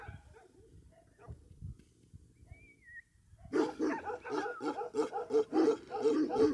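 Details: Bhote Kukur dogs on a farm at Kali Pokhari village, eastern Nepal, above 3,000 metres: three quiet seconds with faint rustling and a brief thin whistle, then a burst of rough, overlapping barks repeated almost three times a second.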